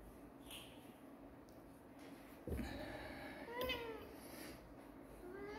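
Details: Kittens, described as cute and shown cleaning, possibly strays, with a quiet indoor recording: a faint meow around the middle, a clearer rising-then-falling harmonic meow after, and a short upward mew near the end over low background hiss.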